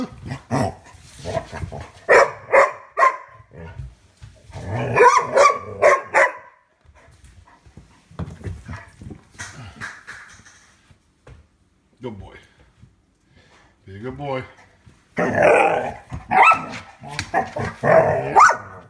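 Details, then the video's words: Rubble, a pet dog, barking at his bone indoors, with clustered sharp barks and a few growls in bursts separated by short pauses, while a person talks to him and music plays faintly. "Rubble barking at his bone"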